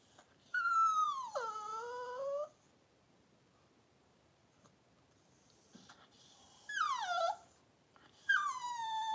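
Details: Whimpering from a Cavalier King Charles Spaniel litter birth, with Daisy delivering six puppies in two hours indoors: three clear, high, pleading cries, each starting high and sagging lower over a second or two, separated by quiet pauses.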